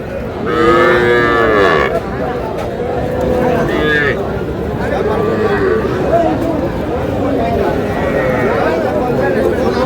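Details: Cattle at a busy market in Madaripur, Bangladesh, where a farmer buys very small bulls and heifer calves: one loud, drawn-out lowing moo fills the first two seconds, then softer murmurs under constant crowd chatter and bargaining voices.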